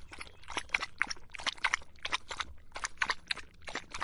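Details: Dog drinking water in the hot summer, lapping with quick wet splashy strokes about four per second, steady and rhythmic with brief pauses, nothing else heard.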